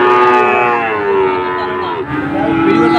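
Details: Sahiwal bull at a Dhaka cattle market in Bangladesh, 16 September 2024, gives a long, steady, rich moo lasting about two seconds, then a second lower one, with market hubbub behind.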